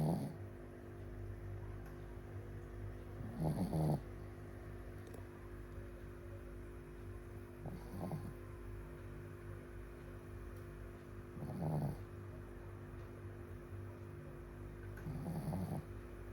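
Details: Shih Tzu asleep, snoring while hugging a bolster; slow rasping snore bursts roughly every four seconds over a steady low hum in the room.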